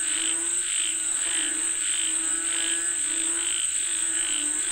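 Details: Frogs calling for rain: a chorus of short croaking bursts, roughly one to two per second, over a steady high insect whine and a low continuous hum.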